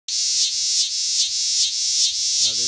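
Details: Big green cicada in Lancaster County, Pennsylvania, on August 18, 2016, handled before flying off: loud, high, continuous hissing buzz that swells and dips in pulses about every half second, then a man's voice at the end.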